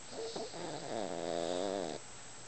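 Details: Yorkshire Terrier in deep sleep, snoring with its eyes open: a single nasal snore about one second long with a wavering, buzzy droning tone, preceded by a few faint breathy sounds.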